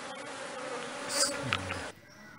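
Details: Honey bees from a kept colony buzzing: a dense, steady droning hum with a low tonal layer and a few brighter flickers, cutting off sharply after about two seconds into a faint background.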